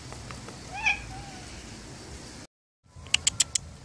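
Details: One of the stray cats living around a library, which come when called by name: a short, faint, high meow after a person's calling, followed by a brief gap and a few sharp clicks.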